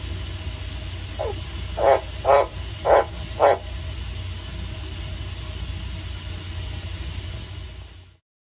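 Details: A male White's tree frog at a zoo in Nagoya, stimulated into calling by being sprayed with water, gives a short run of deep, hoarse croaks against a low steady hum.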